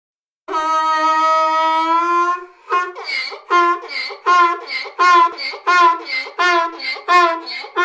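A donkey brays, a long harsh drawn-out note breaking into rhythmic, alternating hee-haw pulses.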